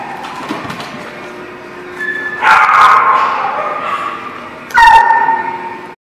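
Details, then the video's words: Dogs at a boarding or daycare lot in January 2019, a lower chorus of distant barking building into two loud harmonic barks near two and a half and five seconds, with whining tones between. "The Barking Lot"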